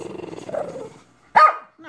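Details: A Shih Tzu, coaxed by its owner to "say I love you," answers the encouraging voice with one abrupt, bright vocal burst, half bark and half yowl, that quickly fades.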